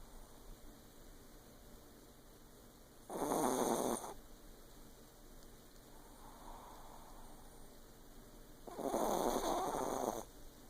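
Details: A sleeping female Yorkshire Terrier, lying in the dark, snores loudly in two long, raspy breaths several seconds apart, with a fainter breath between.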